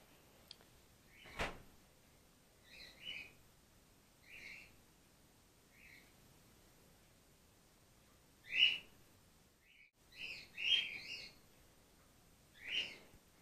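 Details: Gwickle, a female grey-headed flying-fox pup in care on day 2, being bottle support fed after her mother was concussed in an empty swimming pool; sparse high squeaky double notes with harmonics, mostly in the last five seconds, after an early sharp click.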